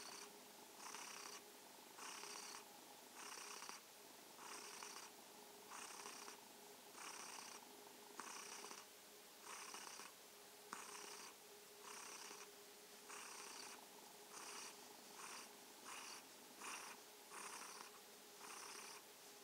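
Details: A kitten purrs steadily in the evening, its rasping hum pulsing in time with each breath in and out; cat.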